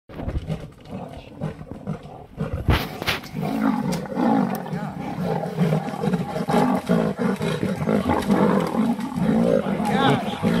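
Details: Lion attacking a leopard to steal bait, with growling, roaring bursts over a dense noisy background; sounds are rough and continuous, with low throaty pulses and a sharp clatter near the third second.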